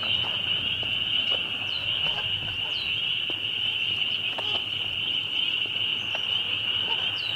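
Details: Loud bunch of spring peepers calling together: a dense, shrill, unbroken wall of high peeps, with single sharp upslurred peeps rising above the chorus now and then, plus faint clicks.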